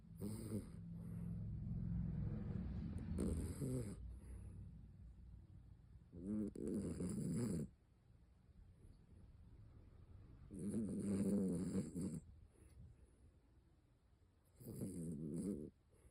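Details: Miniature Dachshund named Helen snoring while asleep: deep rumbling snores in bursts of one to two seconds, rising and falling in loudness, separated by quiet pauses of about two to four seconds.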